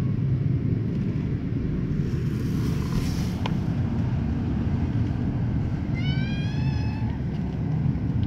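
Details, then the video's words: White kitten meowing loudly while its mother licks it; one drawn-out rising meow with rich overtones near the end, over a steady low rumble. "kitten white meows loudly"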